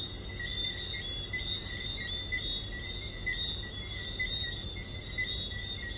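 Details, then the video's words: Frogs in full chorus: short whistled chirps recur roughly once per second over a continuous high shrill tone, with a low rumbling background. "Sandals Frogs"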